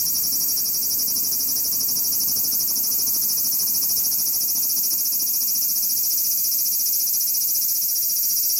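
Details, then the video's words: Large brown cicada finally singing in Aoba Park on 19 July 2019, in a year with few cicadas heard: a continuous, high, sizzling hiss that holds steady at an even, unbroken loudness throughout. "アブラゼミ ようやく鳴きました"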